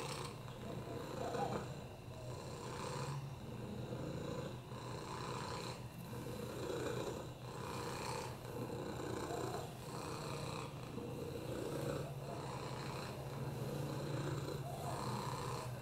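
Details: Lap cat Oliver, FIV-positive with a broken hip and upper respiratory infections, purring continuously: a deep buzzing drone pulsing in regular breath cycles about every 1.3 seconds, breathy hiss riding on each inhale and exhale, no other sounds.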